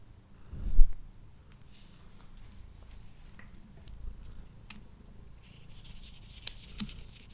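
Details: A male pet cat eating indoors, recorded with a Blue Yeti microphone: a soft, steady low purr beneath scattered licking clicks, opening with a short louder bump.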